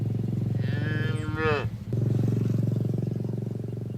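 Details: Cattle from a herd grazing in a green field: one deep, drawn-out moo with a rising, strained middle, set against a steady low droning hum that continues through the whole clip.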